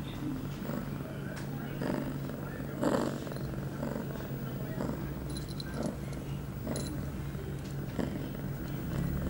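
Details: Pia, an eight-month-old female domestic cat in heat, recorded September 23, 2011, two hours after her first birth control pill; a low steady purr runs throughout beneath brief handling rustles and light metallic jingling.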